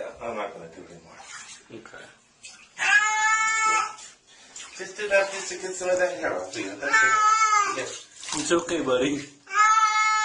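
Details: Pet cat in a compilation of cute funny cats repeatedly lets out loud, drawn-out protesting meows, four calls interleaved with a person's calming speech and splashing water in a small indoor room.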